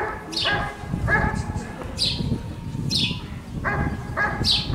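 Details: Giant Schnauzer Rick vom Lindelbrunn at a 2022 IGP CACT dog sport trial in Russia giving short harmonic barks in pairs, about four in all, between sharp high descending chirps, over steady low rumble.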